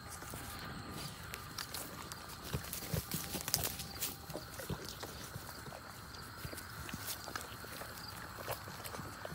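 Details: Sheep crunching and chewing fallen little green apples under an apple tree at a pasture fence, with irregular sharp bites and munching close by.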